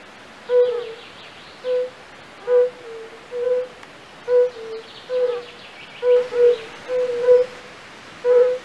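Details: European fire-bellied toads calling in a pool in the castle park of Raduň, Opava district, Czech Republic. Mellow low hoots come irregularly, sometimes doubled or overlapping, as if more than one caller, over soft background noise.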